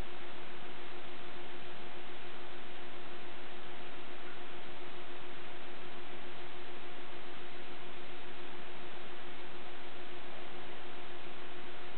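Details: Only a constant flat hiss with a faint steady hum is heard for the whole stretch, without any barking or other animal sounds.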